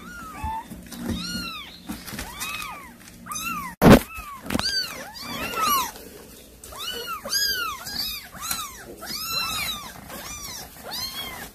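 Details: Mother cat feeding kittens with a caught mouse, calling its young: many short arched meows in quick succession, some overlapping, broken by a sharp loud knock midway, over a low electrical hum.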